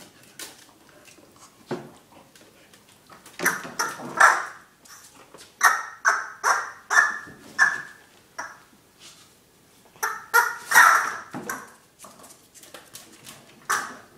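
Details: A male Pembroke Welsh Corgi playing tug with his yellow puppet gives short, clustered bursts of gruff, whiny vocal sounds mixed with sharp squeaks.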